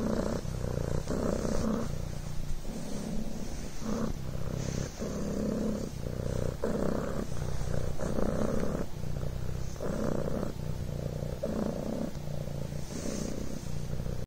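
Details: Devon Rex kitten Coco purring on a blanket, a soft rolled rumble rising and falling rhythmically on each inhalation and exhalation, repeated steadily throughout, quiet background.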